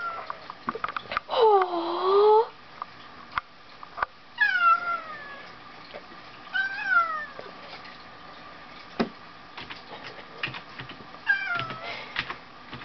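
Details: Two pet cats, Solomon and Tasuki, play-fighting indoors, the fat one, Tasuki, making high-pitched sounds; a long wavering yowl followed by several short descending cries at intervals, with thumps and scuffling between them.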